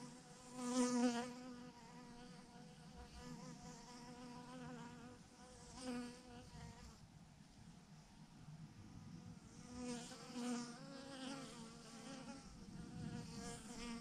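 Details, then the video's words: Massive clump of honey bees on a branch producing a sustained buzzing drone, rich in overtones, with louder waves of sound at intervals of several seconds as individual bees pass close. "thousands of BEES hanging on a branch in a massive clump"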